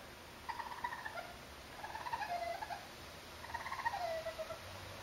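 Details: Young urban raccoons, four together, close up on a terrace they cross while visiting for food: three bursts of wavering, trilled chirring calls, each about a second long, with short quieter gaps between them.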